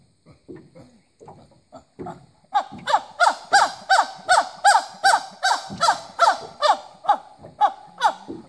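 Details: Rescued chimpanzees in the Congo: after a few quiet grunts, a loud harsh panting series of hoarse hoots repeats about three times per second.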